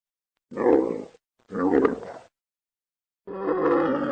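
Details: A camel makes two quick hoarse grunts in succession, then after a pause begins a longer raspy, gurgling growl.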